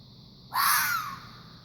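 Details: Fox making one loud, raspy shriek that starts abruptly and trails off with a falling tone, against a quiet hissing background.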